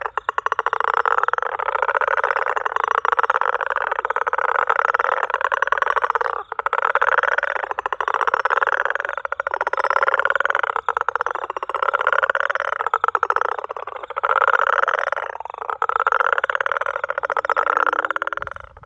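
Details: Garden frog calling in South Africa, described as a greyish smooth frog, not a toad, perhaps a young bullfrog: long runs of harsh, buzzing, pulsed trills, each lasting several seconds, broken by short pauses, loud and unbroken for almost twenty seconds.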